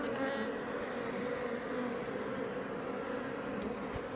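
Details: Iberian honey bees (Apis mellifera iberica) building comb outside a Langstroth hive west of Roquetes, south Tarragona, Catalonia, Spain, near Els Ports National Park; a dense, steady droning hum from many bees with a constant low pitch throughout.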